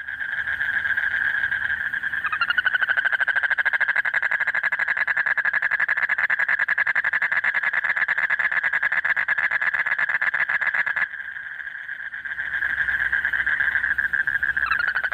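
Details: Late at night in the breeding season, a male toad gives a long, steady, rapidly pulsed trill, calling continuously to draw a mate close.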